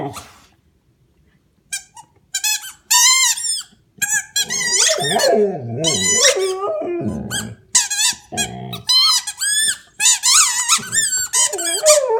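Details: A male Australian Shepherd gives wavering, moaning howls, a sound he makes only while playing with his squeak toy, between rapid high-pitched squeaks of the rubber toy.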